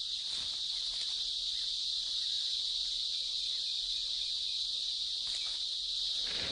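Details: In the shade of trees in a wild Indian forest in summer, a dense chorus of many male cicadas gives its loud mating song: a steady, high, hissing drone with no breaks.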